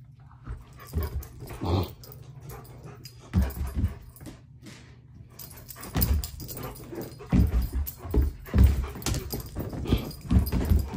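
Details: A German Shepherd 'talks' through a tantrum in a small room. Throaty growl-like groans and whines come in irregular clusters, some loud and rough, with short pauses between outbursts.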